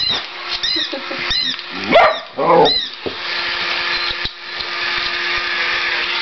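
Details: Indoors, two whippets react to a mechanical cat, letting out a couple of short, rough barks mid-clip against the toy's looping electronic chirps and steady motor hum.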